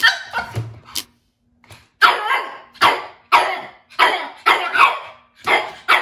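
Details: Japanese Chin puppy, a breed said to bark rarely, giving a burst of sharp, harsh barks after a short pause, about seven in four seconds, some doubled in quick pairs, each bark rough and broadband with a fast fade.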